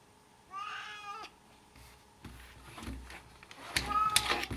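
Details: Cat gives one short, wavering meow early on. Clattering, bumping household noises and faint voices follow.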